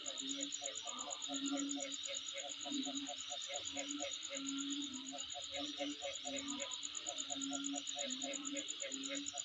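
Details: Insect calls around the recordist's home, a steady shrill pulsed trill and dense hiss, joined by rows of quick clicking notes in the middle range and low buzzy bursts.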